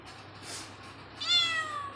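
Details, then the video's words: A cat gives one short meow in the last second: a bright, harmonic call that starts high and slides downward, after a moment of quiet room sound. "meow meow cut cat"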